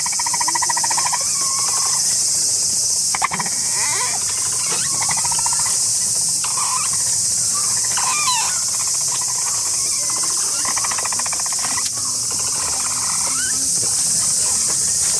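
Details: Capybara herd recorded close up in August 2023, the female Aoba leading the chorus while the rest join in, brother Donut arriving late; buzzy, pulsed purring calls come in bursts every few seconds beneath a loud, steady, high insect drone.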